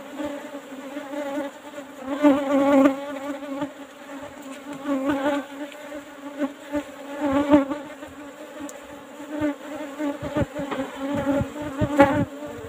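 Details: Close-up of Asian honey bees (Apis cerana) around an old-style hive box during honey harvesting; loud, wavering buzzes of individual bees passing near, rising and fading every second or two over a steady low hum, with occasional clicks.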